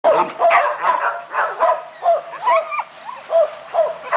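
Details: German Shepherd named Leon giving a rapid series of about ten short, tonal barks and yips, each a quick rising-then-falling burst, spaced roughly every half second with brief gaps between them.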